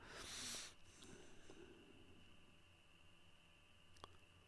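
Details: Crickets give a loud, steady, high continuous trill near a swamp, where frogs and other insects are also present, behind a brief loud rustle and a sharp click.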